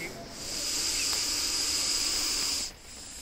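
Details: Russell's viper defending itself with a loud hiss likened to a pressure-cooker whistle: a long, even, high-pitched rush of air lasting over two seconds, rising gently in, then cutting off sharply.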